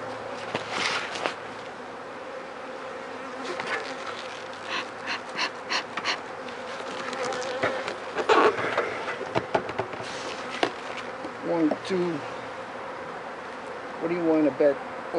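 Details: Honey bees buzzing as their hive is opened and inspected after about four days of rain, with dead bees lying in front of the hive; a steady low droning hum runs throughout, broken by handling knocks, clicks and brief voices.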